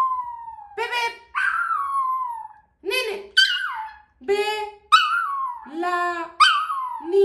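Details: Female Yorkshire Terrier vocalizing in response to hearing her name: a run of drawn-out, tonal whines and howl-like cries, each sliding downward in pitch, about seven in seven seconds with short breaks between them.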